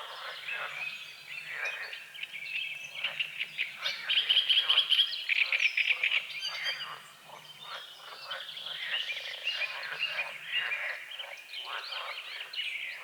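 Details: Dawn frog chorus over a small lake beside the forest, fog lying on the water: rattling, overlapping croaks in quick bursts, with a bright trilling bird phrase near the middle and other birds chirping behind.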